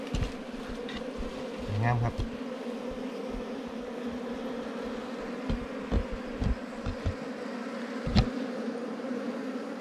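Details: Wild bees buzzing while honey hunters dig out a ground or cavity nest; a continuous low drone with scattered sharp taps and clicks from the digging.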